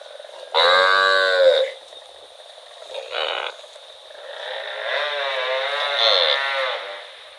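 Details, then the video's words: Cow in rural rice fields lets out one strong moo of about a second, then a brief softer call, followed by a long, wavering, lower-level moo over a constant background drone. "Cute cow wandering in rural rice fields - Funny cow sound"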